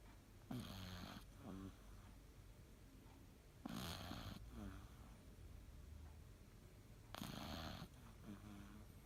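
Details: Cavalier King Charles Spaniel Elu asleep at midday, three loud, rasping snores about three and a half seconds apart. Each harsh inhale is followed by a shorter fluttering exhale.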